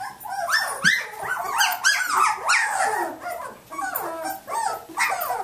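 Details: Samoyed puppies of Athena's litter at 19 days old, up and playing on Thanksgiving, give a busy stream of overlapping squeaky yips and whines that rise then fall, often several at once, in irregular bursts with no pause.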